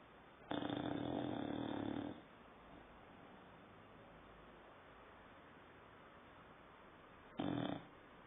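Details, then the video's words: Saddam, a nine-month-old dog, snoring: one sustained, gravelly snore of about a second and a half, a long hush of quiet breathing, then a short snore snorted near the end. "Saddam roncando"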